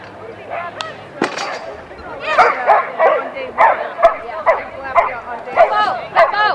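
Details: Samoyed Echo Sun at a Samoyed Club of Los Angeles AKC event in November 2011; a run of sharp barks and yips repeats roughly every half second, with an earlier crack and people talking beneath.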